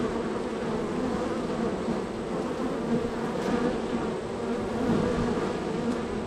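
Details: Extremely active honey bees at the third hive in a row, flying in and out; thick, steady humming drone with faint individual wingbeat passes rising above it.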